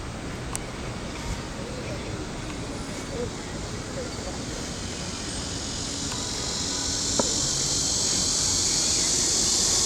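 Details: Cicadas in the trees by the lake of Huangzhou, China, heard while walking, fill the air with a steady, high-pitched buzzing hiss that swells louder toward the end.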